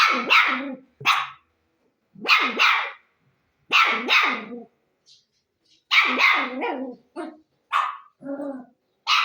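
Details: A dog barks loudly in quick doubled and tripled bursts, bright and harsh, with short pauses between groups and a softer lower bark near the end.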